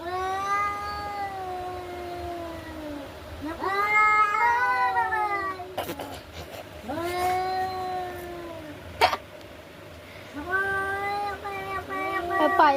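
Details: Cats in a fight give repeated long, moaning yowls that rise and fall in pitch, four drawn-out bouts with brief sharp clicks and knocks between them.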